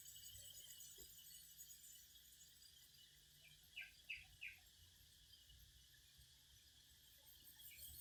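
Cicadas sing in a steady, high, hissing drone, with a few brief chirps midway.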